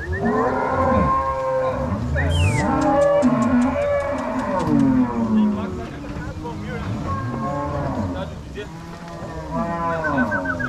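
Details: Crossbred Angus-Nelore cows driven toward pasture at Fazenda São Matheus, Paraná, 16 March 2022; continuous overlapping moos from many animals, broken early by a rapid series of sharp cracking clicks.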